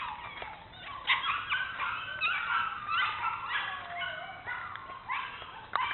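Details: Bernese Mountain Dogs Mrs. Red and Mr. Green of Cape Bernese Kennel exploring, giving a continuous stream of high, overlapping whimpers and thin yips, with wavering whined notes and short squeaks throughout.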